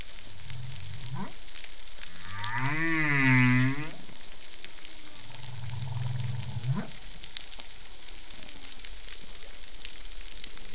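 A whale's song unit opens with a quick rising whoop, then a long, wavering, richly harmonic moan that swells and falls. Another low drawn-out tone ends in a sharp upsweep, all over steady underwater crackling.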